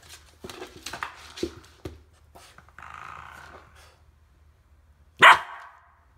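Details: Australian Shepherd puppy named Indy, about 10 weeks old, playing indoors with a door stop: scratchy rattling twangs, then a short whine, and one loud, sharp bark near the end.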